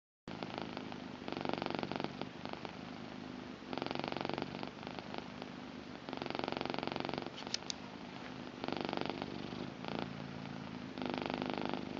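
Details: Blue British Shorthair cat, a female, purring indoors: a steady low rumbling purr in broad bands, swelling on each inhale and exhale roughly every one to two seconds, with brief quieter gaps between breaths.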